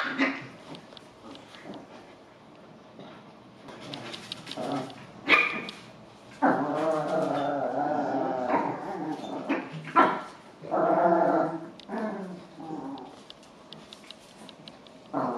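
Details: Biewer and Golddust Yorkshire terriers Lorka, Becca, Indy, Zoeï and Oscar together indoors; long, wavering high whines and yelping whimpers alternate with short sharp barks, several voices overlapping in bursts.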